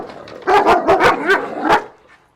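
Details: An intact male German Shepherd, a little over two years old, barking reactively at another dog out of fear after an earlier attack. He gives a quick volley of about six sharp barks in under one and a half seconds, then goes quiet.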